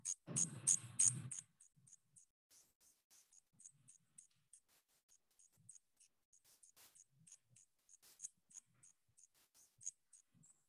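A southern ground cricket sings a thin, very high, buzzy pulse repeated about three times a second.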